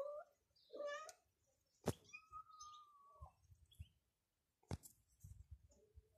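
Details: Gentle mother cat with kittens in a yard on a street called Medio Celemín; two short rising meows, then a long flat thin meow, with clicks and low background rumble between them.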